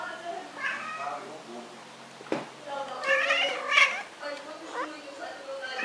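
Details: A female Siamese cat playing fetch gives drawn-out, wavering meows, complaining insistently for her favourite toy to be thrown back so she can run after it again.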